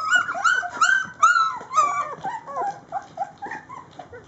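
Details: Rhodesian Ridgeback puppies, three weeks old, whine while eating: several loud sliding squeals early on, then softer, wavering whimpers and chirps tumbling over one another at an uneven rapid pace.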